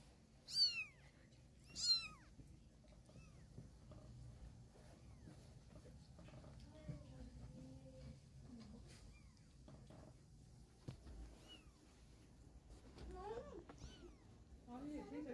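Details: Mother cat carrying her kittens in her mouth to move them to a safer or more comfortable spot. Two loud, high, arching mews rise and fall about a second apart near the start, then faint softer calls and quiet room noise follow.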